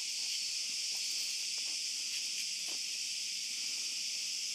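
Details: Cicadas calling at night in an olive grove: a dense, unbroken high-pitched buzzing drone that holds steady throughout, with a few faint clicks of footsteps from a dog walk underneath.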